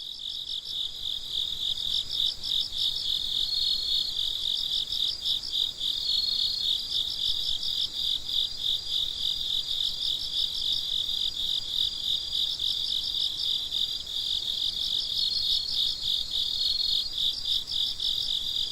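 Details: Crickets at night, heard as a steady high-pitched chorus of pulsed chirps, several overlapping callers trilling continuously with rhythmic bursts roughly three times a second, no other clear sounds.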